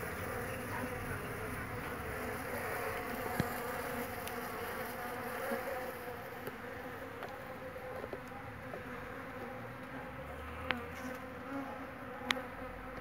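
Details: Many jandaíra stingless bee foragers around hives kept at a São Paulo home with over 30 bee boxes; a continuous droning hum of overlapping wingbeats, with occasional sharp ticks and a brief low rumble near the end.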